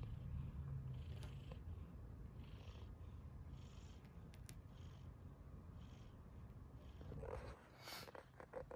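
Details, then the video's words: Cat purring softly: a steady low rumble runs under the clip, with faint breathy pulses above it and a brief louder rustle near the end. "funny cats / kittens"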